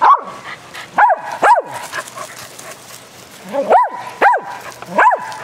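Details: Dogs barking during rough play at fetch on a spring day: loud single barks in two clusters, roughly half a second apart, separated by a quieter stretch of background noise.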